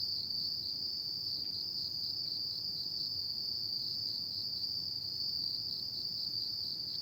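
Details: Autumn night insect song: an unbroken, piercing high trill running evenly throughout, a couple of faint ticks early on, and soft low ambient noise.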